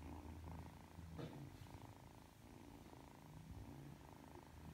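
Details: Three-month-old Ragdoll kitten purring as it comes over, kneads and drifts off to sleep. A steady, low rumbling purr throbs continuously in rapid pulses through the clip, close and even, with no other clear sounds.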